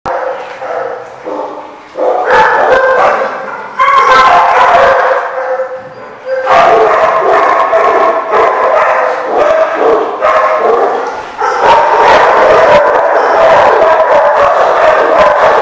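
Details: Many dogs at a dog park on 27 March 2015, barking and yipping in overlapping bursts; a dense, continuous chorus of sharp barks with voices mixed in.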